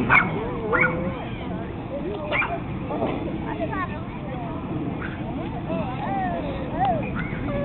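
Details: Male Pekingese, unhappy with his new brother dog, makes short yips and high wavering whines, interspersed with rising whimpers, while people talk in the background.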